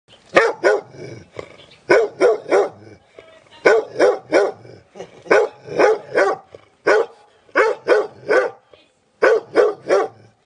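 A dog barks in quick bursts of three or four sharp, loud barks separated by brief pauses.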